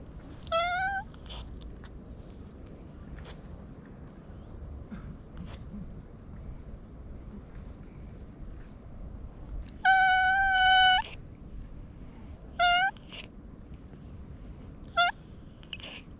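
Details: Domestic cat, a stray, crying in a cute voice while being petted; scattered meows, one long steady meow at the middle and two short chirping calls after it, quiet background between them.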